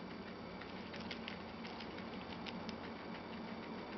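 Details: Two pet guinea pigs, Chocolate and Milk, eating a lettuce leaf, their favourite vegetable: soft, rapid crunchy clicks and patter of chewing that runs steadily throughout, over a constant hiss.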